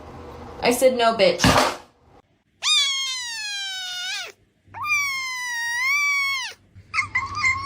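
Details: A domestic cat gives two long, drawn-out meows, each close to two seconds, held steady and bending downward at the end, then a short, higher call; brief scuffling noises come before the first meow.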